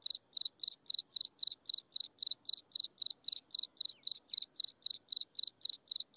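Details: Insects chirping at sunset: a steady train of short, high, bright chirps, about three per second, evenly spaced over a faint continuous high hiss, with no other sounds.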